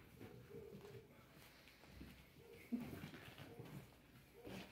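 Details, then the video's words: Five-week-old Old English Sheepdog puppies seeking attention indoors, giving short level whimpers in bursts, with a louder scuffle partway through and low background noise. "Old English Sheepdog puppies seeking attention at 5 weeks"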